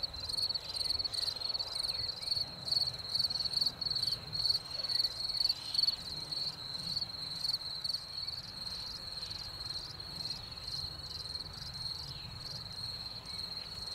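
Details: Spring chorus of crickets after rain, a bright high-pitched trill broken into rapid regular pulses roughly two per second, loud and unbroken throughout, against a quiet low background.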